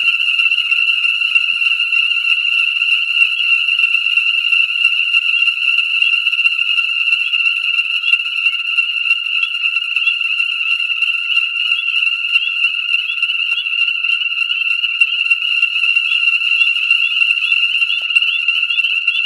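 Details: A dense chorus of Ornate Chorus Frogs (Pseudacris ornata) at a breeding pool in Conecuh National Forest, southern Alabama, on New Year's Day 2017. High shrill peeps overlap into a ringing wall of sound in light rain at about 67 F; the pool refilled within 24 hours.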